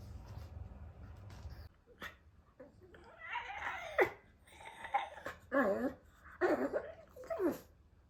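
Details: Early-morning alert from a male rescue Pekingese, a retired breeding dog born in 2015, living in a foster home with a resident dog; quiet indoor room, then rough, grumbling, yip-like bursts repeated about once a second.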